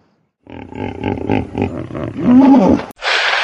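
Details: Hippopotamus roaring: deep pulsed grunting bursts that build into a louder, rough, harmonic bellow lasting a few seconds, ending abruptly before a short hiss of noise.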